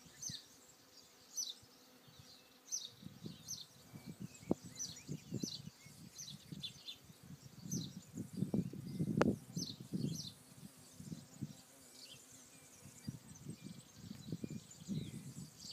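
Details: On Alicudi, Aeolian Islands off Sicily, bees work the flowers, their deep humming coming in repeated passing bursts that peak near nine seconds, while thin high-pitched bird notes flicker in the quiet distance.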